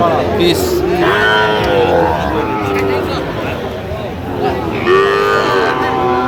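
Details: Sahiwal bull calves at a cattle market where farmers from Jamalpur are buying, 31 August 2025; a drawn-out moo rises twice over steady men's chatter, crowd babble and passing vehicle noise.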